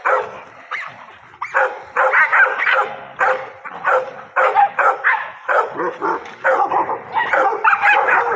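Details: Pocket American Bully at bite sleeve training, a pet with drive: rapid strings of high, clipped barks and yips in loud bursts, people's voices in the background.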